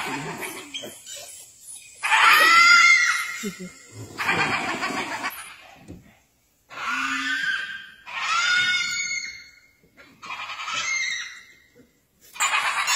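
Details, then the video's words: Several hyenas cackle at a tiger in shrill, squealing giggles with wavering high whines, broken into separate outbursts divided by brief silences. "HYENAS LAUGHING AT A TIGER!!"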